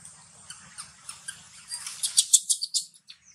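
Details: Timo, a young monkey from a wild troop, crying from hunger: a run of shrill, squeaky, high-pitched squeals in quick bursts that grow louder toward the end and then stop.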